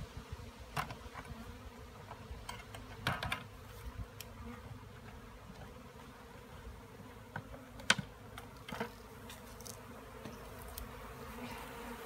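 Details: Bees giving a continuous low hum, with sharp knocks and clicks breaking through every few seconds.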